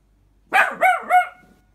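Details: An 11-month-old male King Charles Spaniel gives three short, shrill, squeaky barks about a third of a second apart, each rising slightly then dropping off.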